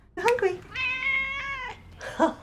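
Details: A domestic cat gives a long, drawn-out, steady meow, the more prolonged meow cats use when they want food, with a person talking around it.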